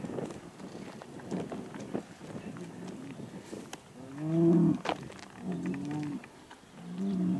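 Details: Hereford bulls, big herd sires being moved around for fertility testing, give deep harmonic bellows in the second half, three drawn-out calls with rising and falling overtones, amid footsteps and handling noise.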